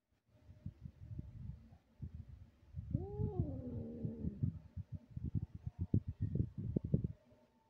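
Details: A lost white cat in a street gives one drawn-out, wavering meow that rises and then slowly falls, against low rumbling and thumping noise before and after.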